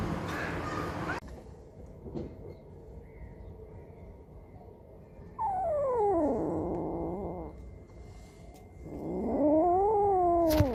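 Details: Cats and kittens meowing: two long drawn-out meows, the first sliding steeply downward, the second rising then falling, with quieter rustling and a brief noisy burst at the start.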